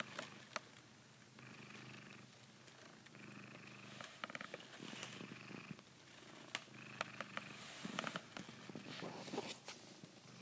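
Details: A Savannah cat purrs in steady, low, rumbling bursts while biting a blanket, with soft clicks and rustling fabric; the owner says it treats the blanket as if it were a female cat's neck.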